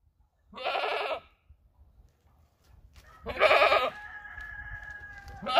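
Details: White, cream-coloured breeding buck goat in Buraydah, yearling-to-adult age, kept for sale. Two harsh, nasal bleats, each about 0.7 s, separated by a pause of two seconds. The second is followed by a long, steady tonal hum.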